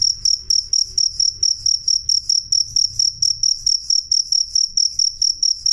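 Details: Loud, clear jangkrik chirping: bright high-pitched pulses in an even train, roughly two to three per second, over a soft low background hum.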